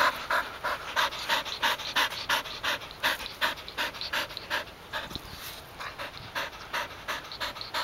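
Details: Golden Retrievers, three sisters including a one-year-old, retrieving together: rapid rhythmic panting, steady breathy bursts about three per second throughout, slight variation in loudness, no other clear sounds.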